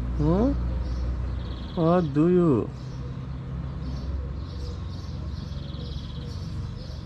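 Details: Stray female cat on a street in Morocco, very excited and impatient before mealtime: a short wavering meow, then two drawn-out, bending meows in quick succession, over a low traffic rumble with faint high chirps.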